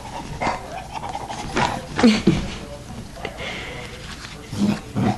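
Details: Yoda, a dog, with his puppies: short panting breaths and a few brief low whimpering squeaks in bursts, mixed with rustling and a person's voice urging the pups.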